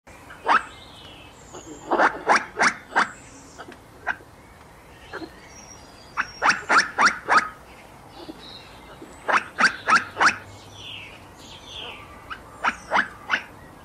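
A squirrel gives sharp, barking chips in quick bursts of three to five, repeated every few seconds.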